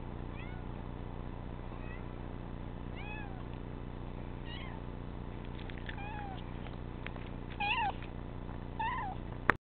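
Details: A pet cat gives a run of irregular meows, some short and arched, one drawn-out falling cry, the last few louder and sharper, over constant low background hum before a sudden click ends the recording.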